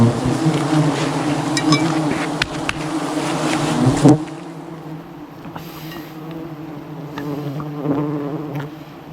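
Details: Aggressive wild honey bee swarm attacking a honey hunter high in the jungle during harvesting; dense droning buzz with steady low bands, loud for four seconds then dropping abruptly to a softer hum, with scattered clicks and knocks.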